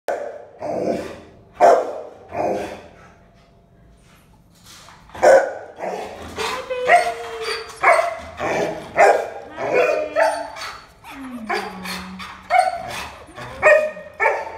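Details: Tricolor female terrier, one year old, barking: a series of sharp, mid-pitched barks, some doubled, with pauses and a few whiny, drawn-out yelps between, plus faint background voices.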